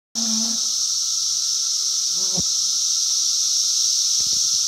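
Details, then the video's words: Cicadas on a farm in 2016, loud enough to drown out nearby voices: a steady, dense, high shrill hiss with a second lower whining band, unbroken throughout, with brief faint low tones and a few clicks beneath. "Cicadas on the farm 2016"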